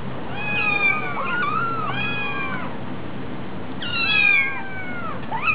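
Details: Hungry kitten at a cat cafe giving long plaintive meows, each sliding up then down, two separate bursts with a quiet gap between, steady low hum behind.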